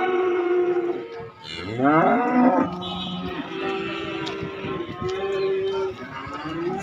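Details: Calves and young bulls for sale at an Indonesian cattle market, one lowing loudly with a rising bellow that swells then holds, followed by steadier drawn moos from other animals against crowd background noise.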